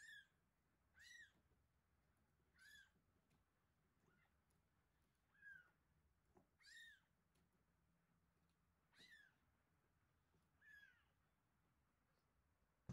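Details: Meows from Terra and Towa, week-old kittens being fed indoors, one with eyes just starting to open: about eight short, arched, bright cries spaced unevenly one to two seconds apart against a quiet background.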